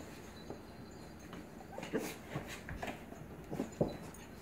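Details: Blue Pit Bully puppy playfully "dominating" an adult Staffordshire Pitbull Terrier; scattered soft whimpers and short yips, irregular and faint, mixed with light scuffling and clatter.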